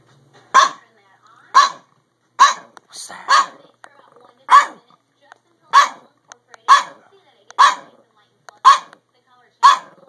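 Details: A male Chihuahua-Pug mix dog barks from a window while watching neighbours move in across the street, giving sharp, high-pitched barks about once a second; the audio is muffled at first. Recorded March 22, 2015.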